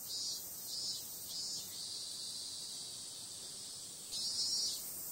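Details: High, sizzling buzz of cicadas at night in summer, a few louder pulsing bursts at the start, a smooth steady stretch, then a stronger swell near the close.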